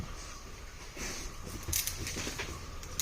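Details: Hissing vehicle noise with a whirring motor and light metallic jangling, like keys, and no animal sound.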